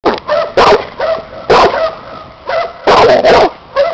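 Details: Seven-year-old Cane Corso (bandog) in a protection work test with a new helper using a hidden sleeve, giving loud, deep barks in quick bursts, some doubled, about seven in four seconds.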